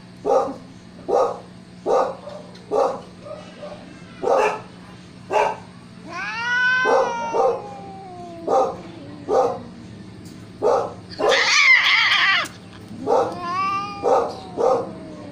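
Siamese cats give loud, harmonic meows, some short and clipped, others long, wailing and falling in pitch.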